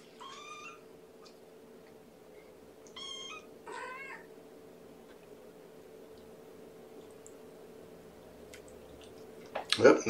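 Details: Kittens of mama Gamora's litter of five at a breakfast feeding, 2018-05-07. Three clear, high harmonic mews in the first four seconds, then quiet, ending in a loud burst of rustling close by.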